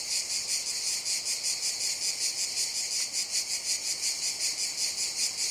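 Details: In a jungle in the summer season, cicadas keep up a bright, sizzling buzz with a regular pulsing swell of about three per second.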